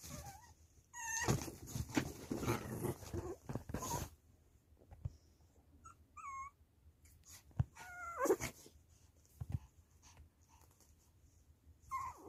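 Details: Baby puppy reacting to its mother: scattered thin, high whimpers that bend up and down, some doubled, spread across quiet gaps between bursts of rustling and handling noise.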